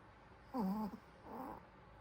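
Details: A sleeping Pomeranian snores: two short nasal snore sounds, the first a wavering tonal whine, the second a softer rasping breath about half a second later, in a quiet room.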